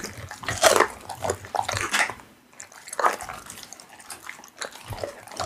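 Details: Pit bull eating raw meat, heard as wet, irregular chewing and biting bursts with smacking clicks, some louder crunches clustered near the start, with short quiet gaps between bites.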